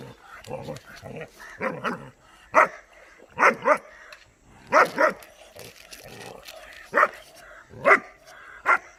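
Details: Curious German Shepherd puppy Dollar meeting buffalo for the first time, barking repeatedly in sharp single and doubled barks, irregularly spaced, while people talk in Hindi nearby.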